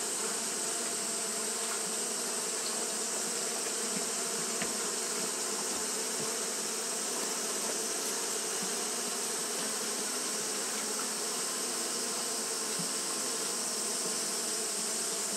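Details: Long, unbroken hum from Japanese honey bees fanning in hot weather, the low layered drone steady from start to end, accompanied by a constant high-pitched hiss.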